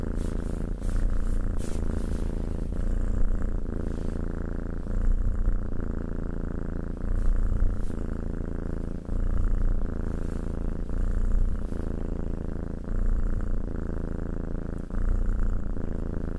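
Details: Petted house cat giving a long, even purr, a low throbbing rumble pulsing with its breathing about every one and a half seconds, plus light clicks and rubbing sounds.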